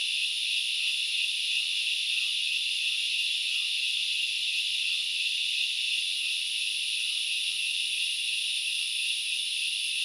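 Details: Grasshoppers at Knuckles Reserve in the Central Highlands of Sri Lanka make a dense, unbroken high-pitched shrilling chorus, steady in volume, with a faint buzzing band running beneath and no other clear sounds.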